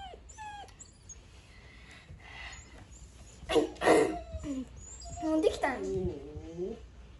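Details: A German Shepherd puppy hearing a recorder for the first time gives wavering, rising-and-falling howls and whines after high recorder notes.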